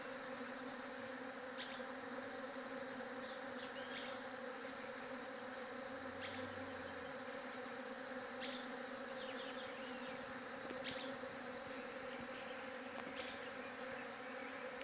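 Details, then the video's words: Humming bees on a J7 Galaxy Prime2 recording: a constant, rich low drone dominates, the high pulsed ticking fades out early, and scattered faint clicks and chirps dot the background. "SOM DE ABELHA"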